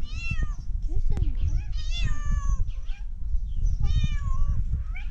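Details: Tabby cat giving repeated bright, harmonic meows, said to sound like a duck. Three clear calls about two seconds apart, each starting high and sliding down, over steady human speech.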